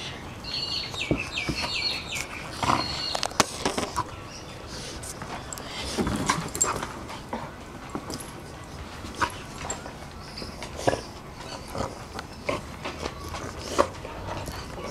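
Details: Reunion after five months of two dogs, Rolex the female Shar Pei and Ellie the Kelpie cross: a run of high, wavering whines in the opening seconds, then sharp taps, rustling and scattered thumps.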